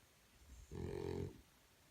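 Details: Sleeping French Bulldog puppy giving one short, low, rough snore of about half a second in a quiet room.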